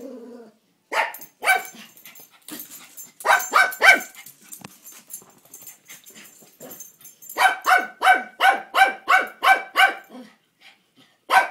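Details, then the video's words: Barking at the mail man, Toi the dog lets out two short clusters of loud, ringing barks, then a steady run of about ten quick barks, roughly three per second. "Toi barking at mail man"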